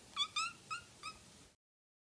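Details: Young house kitten mewing four times in quick succession, short bright harmonic cries, the first two loudest, before the sound cuts to silence.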